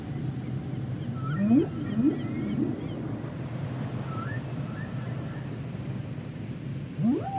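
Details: Humpback whale song: rising upsweeping moans near the start and end, with faint high whistled tones drifting between them over a steady low underwater rumble.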